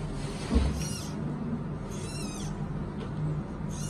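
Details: Newborn giant panda cub, described as the world's lightest panda, at the Chengdu Research Base of Giant Panda Breeding in Sichuan, China: two high, wavering squeals with a shrill, warbling quality, heard over a steady low mechanical hum.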